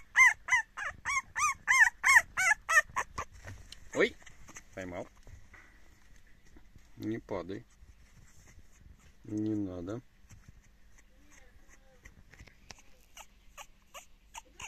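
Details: French Bulldog puppy, indignant and protesting, lets out a rapid series of high squealing yaps for about three seconds, then falls quieter while a woman talks soothingly over faint background music.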